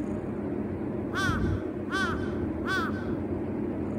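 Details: Kitten Uzura, 119 days old, settling down to sleep with its owner at night, gives three clear arching meows, each rising then falling, spaced under a second apart over a constant low indoor hum.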